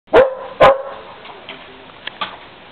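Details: German Shepherd dog trying to climb a ladder to get at some birds, giving two loud, sharp barks about half a second apart, then quieter scuffling and faint noises.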